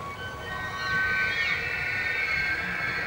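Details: Bull wapiti (elk) bugling in early September forest at the start of the fall rut, a challenge to other bulls and invitation to cows; a sustained high whistled tone with bright overtones slides and wavers, steady against a low background hum.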